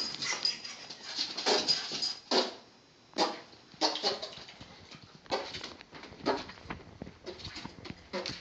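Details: Pet dog named Bentley, indoors in a small room, reacting excitedly to fart sounds: a string of short, harsh broadband yelps and whimpering barks in irregular bursts, with brief pauses between clusters.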